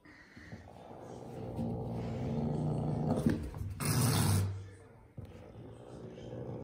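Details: A grumpy pet caracal (Caracal caracal) playing with a carpet gives low, rumbling growls broken by a harsh, hissing burst.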